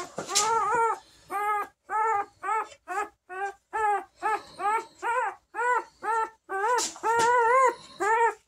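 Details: Bernese Mountain Dog puppy born March 5, 2023, whimpering indoors: a rapid series of short, high, arched whines, about two per second, some run together into longer wavering cries.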